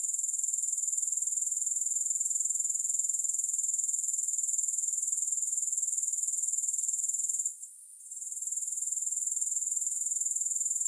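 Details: A steady wall of shrill grasshopper trilling sits high in pitch, rhythmically pulsing roughly four times a second, with no music. A short gap comes at about seven and a half seconds before it picks up again.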